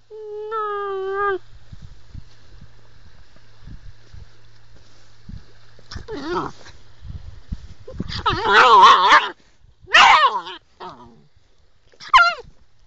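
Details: Female Sloughi puppy, described as angry and crazy: a short harmonic whining cry opens, then after a quiet stretch come bursts of wavering whines, yelps and a final rising squeal, with soft background knocks between.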